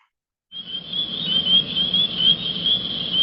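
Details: Spring peepers (Pseudacris crucifer) calling in spring, a dense chorus of high, clear, piping peeps that blend into one shrill ringing tone.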